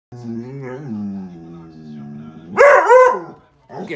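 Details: Male Doberman and Border Collie mix dog raising its alarm at the mail carrier: a long, low, steady drawn-out whine-like tone with a brief rise, then a single loud, sharp bark, followed by a short fainter sound.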